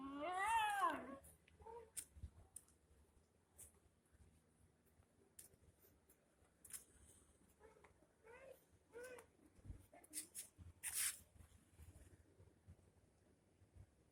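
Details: An Indian dog weeps with a loud, wavering, crying whine followed by several shorter, softer whimpers.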